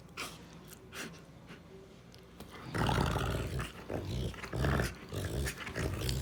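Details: Quiet at first with faint clicks, then a female Rottweiler breaks into sustained low growling with rising and falling rumbles through the second half.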